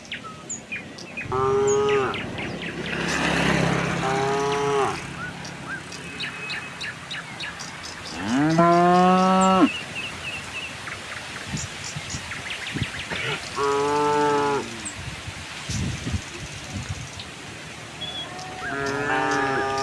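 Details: Tame cattle herd walking to a wide pasture on a quiet sunny morning, lowing repeatedly: harmonic moos about a second long, several overlapping, one louder rising moo midway, with faint bird chirps and rural background.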